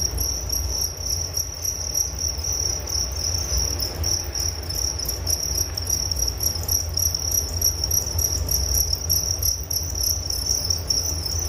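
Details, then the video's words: Chirping crickets produce a sustained high, rapidly pulsing trill that barely varies for the whole stretch, with softer higher ringing above and a low rumbling background beneath. "Relaksasi Suara Jangkrik Penghantar tidur || Nature Sound of Crickets"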